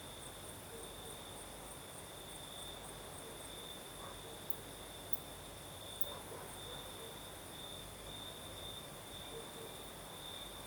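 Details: Singing crickets on a night in southern Crimea, with a night breeze: a sustained shrill trill running the whole time, a few faint ticks and a soft low murmur in the background beneath windy hiss.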